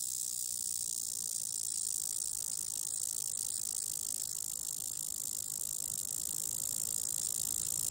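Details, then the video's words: Nearly threatened periodical cicada, Magicicada tredecassini, singing on a house window; a shrill, steady high-pitched buzz runs unbroken and even in loudness for the whole stretch. "Magicicada tredecassini, singing on my windows"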